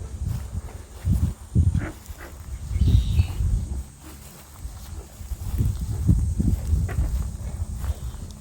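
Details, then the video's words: American bullfrogs call back and forth with deep, low, burping croaks every second or so in the managed wetlands of Merritt Island National Wildlife Refuge, Florida. "The bullfrogs are talking to each other."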